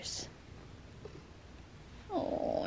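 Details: Butters, a pet cat rubbing against the camera indoors, gives one short tonal meow with clear harmonics that bends downward at the end, after quiet rustling and a brief brushing noise.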